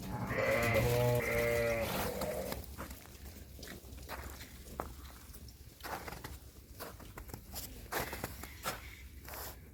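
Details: Female lambs of a Hissar sheep line, offered for sale; one loud, harmonic, wavering bleat lasting about two seconds at the start, then background clatter, footsteps and faint voices.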